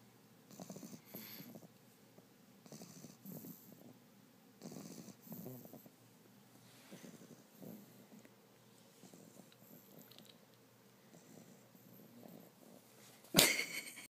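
A French Bulldog puppy snores in soft, rasping bursts repeated every couple of seconds.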